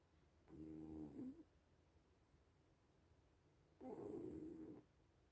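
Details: Little cats sleeping and snoring, giving two buzzy, layered breaths of about a second each, roughly three seconds apart, the second slightly rougher, against a hushed room.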